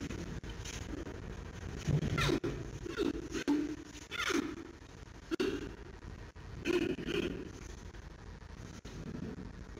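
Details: Giant panda cub Xiao Qi Ji, 136 days old, with mother Mei Xiang in the evening, vocalizing in his sleep in the playpen; a series of short, low, grunting and squeaky bursts repeated every second or so, in a quiet indoor den.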